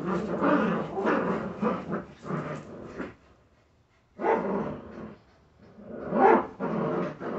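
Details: Jagdterrier puppies making rough, growly yaps and snarls in bursts of about a second, with a short quiet gap midway and a louder sharp cry near the end.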